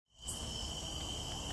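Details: A locust, recorded on 20 September 2018, gives a continuous, shrill trill holding one even high pitch without pause over a low background rumble.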